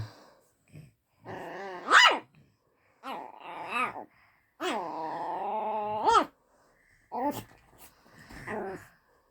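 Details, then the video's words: Luna the pet dog meets Daisy and barks at her for the first time: long harmonic growling whines broken by sharp high barks, in several bursts over nine seconds with short silences between. "Luna barking at Daisey for the first time"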